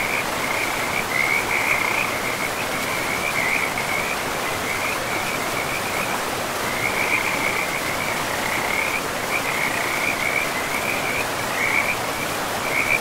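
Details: Beside a river in pristine forest, frogs give high, pulsing trills in bursts of one to three seconds, with short gaps between them, over steady rushing water.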